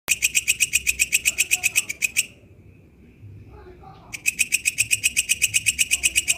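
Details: Katydid (walang kecek) singing in the wild: rapid, evenly spaced, high-pitched pulsed chirps, about four per second. The song breaks off for roughly two seconds mid-recording, then resumes at the same steady rhythm over a faint low background rumble.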